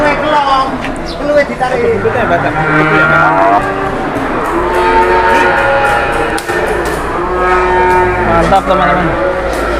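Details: Cattle brought for sale and sold within minutes; low, drawn-out moos of about a second each rise out of steady crowd chatter and background voices, with a busy, noisy setting throughout.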